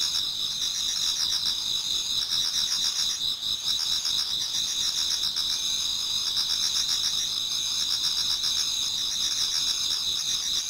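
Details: Autumn insect chorus toward dawn in a Japanese garden, many insects singing at once: continuous high-pitched buzzing trills and pulsing chirps, dense and even, with no pauses over the whole stretch.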